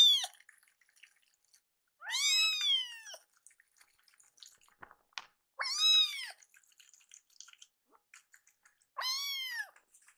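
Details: Indoors, two rescued kittens complain about a late meal, giving four loud, arched, harmonic-rich meows spaced several seconds apart, with faint clicks and small handling noises in between.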